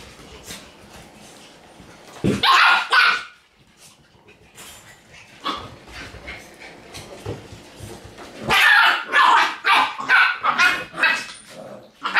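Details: Kotaro and Sachi, a pair of Shiba Inu squaring off in a tight space, yap in quick, uneven bursts, starting with one loud flurry, then quieter single barks, then a rapid run of shrill barks.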